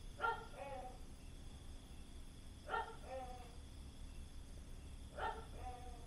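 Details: A gecko at Khao Lak, Thailand, recorded late at night gives loud two-part calls, a sharp bark followed by a lower croak, three times about every two and a half seconds over low night hum.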